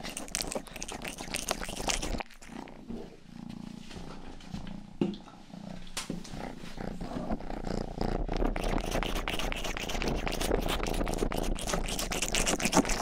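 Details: Purring from Rangi, the youngest pet cat, recorded close up as relaxing ear-grooming sound; a steady low rumble runs through, with wet licking and crackling mouth noises dense at the start and end.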